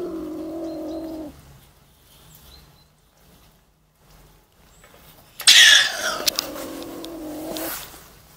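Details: A beech marten in a trap: a short low growl, then silence, then a sudden harsh, broadband scream easing into a rasping harmonic growl that fades out.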